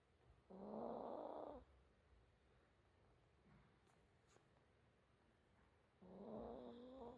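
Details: Sleeping small dog snores, a harsh rasping inhalation lasting about a second, then near silence, then another snore starting five seconds later.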